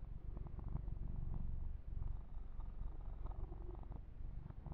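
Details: Low, rhythmic purr of Yumak the kitten during an ASMR massage recorded ear to ear, the rumble swelling around the first two seconds before settling, with faint touching sounds.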